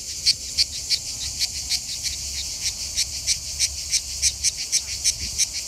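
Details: A grey (manna) cicada, Cicada orni, sings at a rest area south of Lyon, France, in the Mediterranean summer: a dry, rasping buzz pulsed about three times a second.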